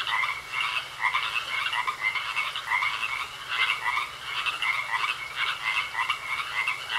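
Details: Pond frogs in full chorus, numerous animals calling together with fast, grating, pulsed croaks that overlap into a steady rattling wall of sound, with slight swells every second or so.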